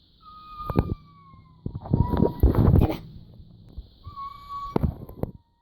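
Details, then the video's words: Pet cat making an unusual noise: two steady, thin, whistle-like tones, each held about a second and slowly falling, broken by loud clattering and knocking. A constant high hum runs underneath. "My cat eddie makes this weird noise"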